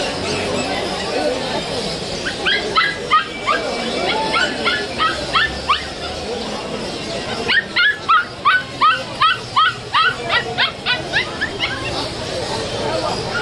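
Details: Saint Bernard puppies at a wholesale pet market on Galiff Street, Kolkata, 2023; high, sharp yelps in short bursts, then a steady run of about three per second, over crowd chatter and busy market noise.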